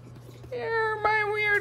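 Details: Male house cat meowing while being patted like a drum in play: one drawn-out, tonal meow of about a second with a brief break midway, then sustained. A person speaks softly just before and after.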